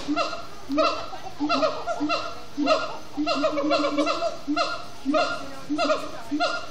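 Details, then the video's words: Captive siamangs at Disney's Animal Kingdom singing at sundown: rapid chanting hoots, rich in harmonics, rise and fall in clustered bursts about every second, with multiple animals calling together. "Siamang gibbons at Sundown"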